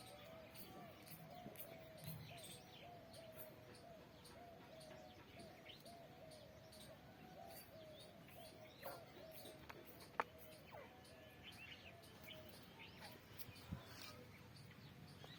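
A squirrel gives sharp, rapid chirps repeated in a steady run over a low background hum.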